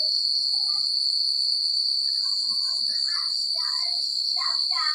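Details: Crickets chirping through a secluded country night: a steady, very high buzzing trill with fast pulses, overlaid by brief warbling chirps that become busier in the second half.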